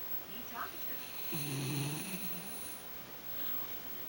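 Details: Melany, a pet dog, snoring while asleep indoors: one low, rumbling drawn-out snore lasting under a second, steady and droning, with a faint short noise just before it in a quiet room.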